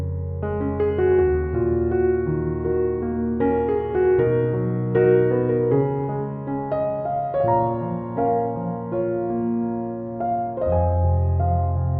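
Soft electric piano music plays throughout, with sustained chords and no animal sounds.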